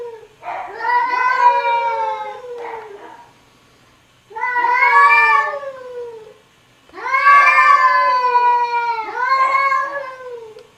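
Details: Cat and kittens meowing in three long, wavering, whining meows with rich harmonics, the last pair run together, in a quiet setting.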